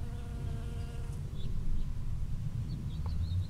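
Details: Bee foraging among strawberry flowers in a strawberry field on 19 June 2011, recorded from 5 cm or closer: a steady droning hum with a clear harmonic tone for about a second, then fading under low rumbling wind or handling noise.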